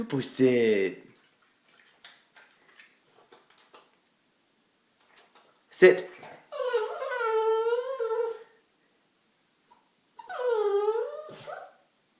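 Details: Pet dog Diesel, excited and anxious about a treat, lets out two drawn-out wavering whines with rich overtones after a long quiet stretch. A short human utterance opens the clip in a small indoor room.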